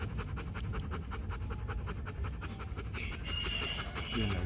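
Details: Rapid, even panting from a Rottweiler at the Gervi kennel in Vietnam, softer and quieter, with a faint high tone and light background noise toward the end.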